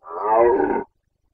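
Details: Carpathian red deer stag roaring during the 2021 breeding season in Bucovina, the rut call known locally as boncănit: one hoarse, harmonic bellow of under a second that swells quickly, holds, then breaks off sharply into silence.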